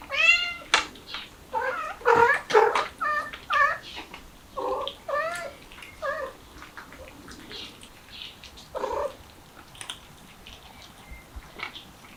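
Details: Mother cat with her kittens trying to get out through a window: a rapid run of short, harmonic meows in the first six seconds, some strained and drawn out, then quieter scattered mews and rustling.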